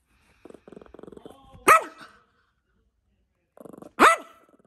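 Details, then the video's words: Feisty, angry Yorkshire Terrier puppy growling and barking: rapid low rattling growl pulses, then a sharp loud bark, the pattern repeated twice with a pause between. "Cute and Angry Yorkie Growling and Barking"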